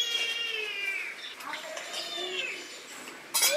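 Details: Pet Asian palm civet near its owner on a hot day: a long, high, wavering mew that slides downward, followed by softer broken whines and a sudden sharp noise at the end.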